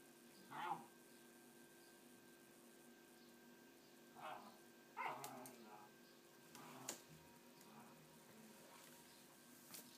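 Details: Two female puppies, the last of M's litter of nine born in October 2011, playing in a hole in a hessian bed indoors; short high yips and squeals come in scattered bursts, with human voices and room noise between them.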